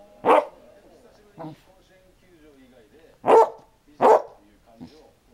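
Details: A Basset Hound barks irregularly: a sharp single bark, a quieter short woof a second later, then two strong deep barks close together near the end, followed by a faint whimper-like sound.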